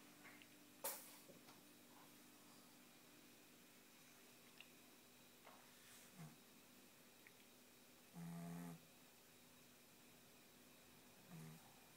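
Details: Six-month-old Tibetan Spaniel puppy asleep indoors, giving a few short, low buzzy snores spaced a few seconds apart in an otherwise quiet room, with a sharp click near the start.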